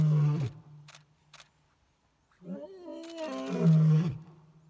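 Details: Male lions of the Crocodile pride roaring on a morning safari in Lower Zambezi National Park, Zambia: a deep low groaning roar, a pause, then a rising, swelling roar with strong low rumble and harmonics.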